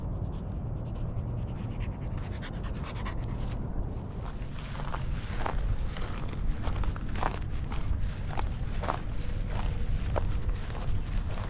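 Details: A four and a half year old male Standard Schnauzer, off-leash trained, panting steadily: rapid rhythmic breathy huffs, loud and continuous throughout, with a few soft thuds that may be footsteps in the background.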